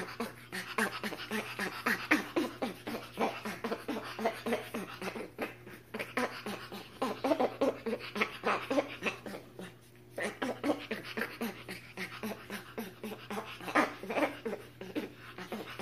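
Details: Spider monkey vocalizing in rapid, breathy chattering pulses, about four per second and uneven in loudness, broken by a brief pause near the middle, with a constant low hum running underneath.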